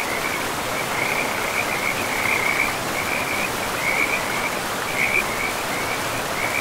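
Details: Beside a forest river with moss-covered banks, frogs trill in short high pulsed bursts that run almost without pause, half-masked by the steady rushing noise of the water.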